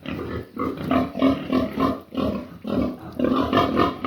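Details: Midday pig sounds: dense, rough grunting pulses repeated roughly three times a second in uneven bursts, with brief pauses between groups.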